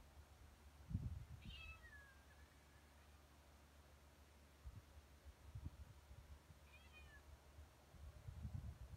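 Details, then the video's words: Cat meowing beside a baby; two faint, short, high meows several seconds apart, separated by quiet stretches with soft low thumps and handling noise. "Funny Cats And Kittens Meowing Compilation"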